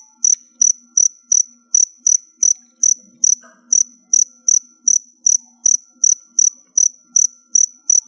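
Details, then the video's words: Crickets held in captivity ahead of their final molt give a long run of about twenty bright, high-pitched chirps at a fast, even pace, nearly three per second, with a faint low murmur underneath. "Cricket Sounds"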